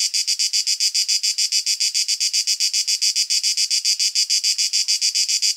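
A cicada sings a harsh, buzzy, high-pitched song pulsing rapidly and steadily, several beats each second.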